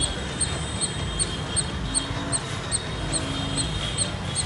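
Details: Birdlike squirrel shouting: evenly spaced, clipped high-pitched chips, roughly two or three each second, carried over constant low-frequency background noise.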